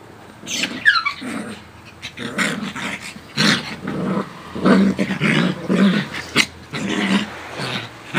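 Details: Two dogs, a Coton de Tulear and a Yorkie Lowchen mix, playing indoors: a string of short rough growls and snarls in uneven bursts, with brief higher yelps early on.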